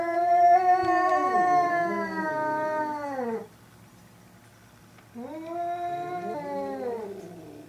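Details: Fight between two domestic cats, Hokuro and a black-and-white cat, their third clash: a long harmonic yowl slowly falling in pitch for over three seconds, a brief silence, then a second wavering wail with overlapping lower growling tones.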